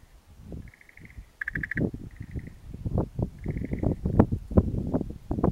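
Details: An unseen frog in Japanese lowland near mountains gives short, high pulsed trills in the first half, one burst louder and rattling, before heavy rustling and thumping handling noise takes over.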